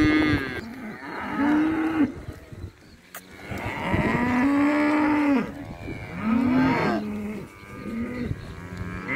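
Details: Calves, males and females, up for sale at a year-end cattle auction at the Sociedad Rural de Junín in December 2019; overlapping moos with rising then level tones, several animals calling in turn over a steady background murmur.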